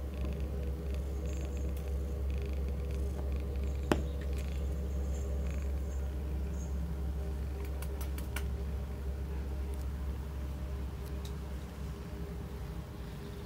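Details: Cat at a Cambridge rehoming centre purring continuously: a low, even, vibrating drone pulsing roughly three times a second, with occasional faint ticks and a short click early on.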